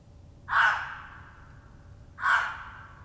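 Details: Male gray fox gives two hoarse, raspy barks about two seconds apart, announcing his territory after apparently smelling a red fox that had passed through hours before.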